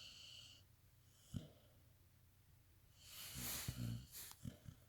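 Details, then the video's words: Brooklyn, a female pit bull, snoring as she sleeps: one faint snort, then a long, noisy breath lasting about a second, followed by a few short snuffling breaths in a quiet indoor room. "Brooklyn the pitbull dog snoring when sleeping"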